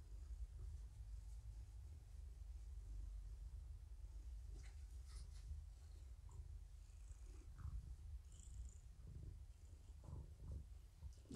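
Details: Morticia, a domestic cat found at a Purrfect Pals volunteer's door while harassed by raccoons, indoors being visited and briefly held, gives a low, steady, continuous purring rumble with faint scattered handling clicks.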